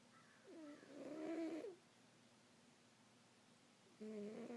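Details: Sleeping domestic cat indoors giving a drawn-out, wavering nasal snore of about a second, followed by near silence and the start of another breath at the end.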